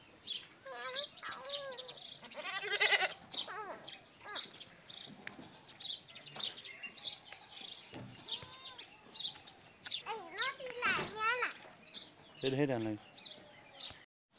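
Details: Goat meeting a dog, giving wavering, harmonic bleats at the start, one loud cry near the third second, then further bleats mixed with people talking and birds chirping in the background.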